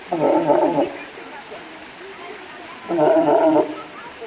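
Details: Walrus making two loud, rough, groaning bursts, each under a second long, with a gritty, buzzing timbre and a pause of about two seconds between them.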